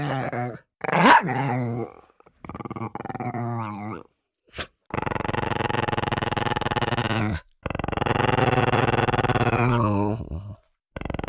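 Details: Dog fighting over food, giving a bark followed by long continuous throaty growls with rich harmonic bands, several seconds each, separated by brief pauses, plus a few short whines.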